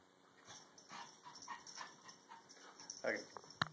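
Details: Puppies romping on stairs, soft rhythmic panting and scuffling with a short whiny yelp near the end, a person speaking briefly indoors.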